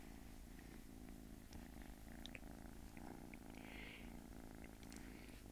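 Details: Small, sweet house cat purring steadily: a low, buzzing rumble of rapid pulses running the whole stretch, with faint scattered clicks and a brief soft higher whoosh partway through.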